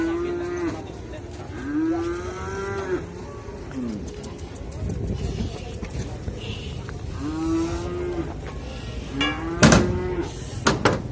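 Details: Cattle at a market being loaded onto a truck, the biggest said to weigh nearly one ton; repeated low drawn-out moos with arching tones, several in a row, over crowd noise and clanks.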